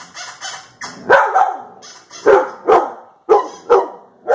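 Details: Sharp, loud barks come in quick succession, each a short punchy burst. A household dog is barking at funny sounds from a YouTube video beside a Labrador Retriever, recorded October 3, 2019.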